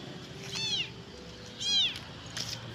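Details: A lone abandoned kitten, found at a rubbish dump and possibly hungry, thirsty and seeking its mother, gives high, thin meows, two clear cries with a fainter third.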